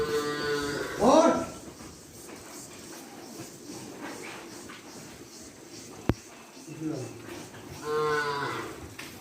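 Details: Cow farm cattle. A loud, harmonic moo comes early, a low grumbling lowing follows later, and a second moo closes the stretch, over steady barn background noise and a sharp click.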